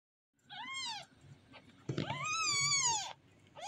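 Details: Kitten meowing indoors: two arched, harmonic meows, a short one then a longer drawn-out cry rising and falling, with a third starting at the end; quiet room background.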